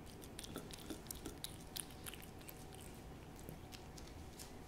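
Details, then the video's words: Close ASMR recording of the cat Hodu feeding on a Ciao Churu treat: a quick run of crisp smacking clicks and moist licks, brightest around the middle, against a faint low hum. "cat ASMR★호두의 츄르 ASMR★ciaoちゅ~る"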